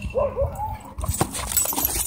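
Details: Dog at a dog park, during a scuffle in which a small white dog launched at and bit a German Shepherd. A short whimpering whine of two quick arching tones, with rustling and a person's voice nearby.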